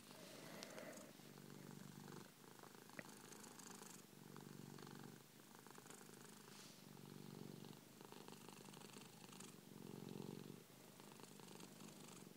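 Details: A three-year-old male Persian cat lying on its owner's chest, purring loudly to itself. The steady low rumbling purr swells and fades in cycles of about two to three seconds with each breath, in a quiet indoor setting.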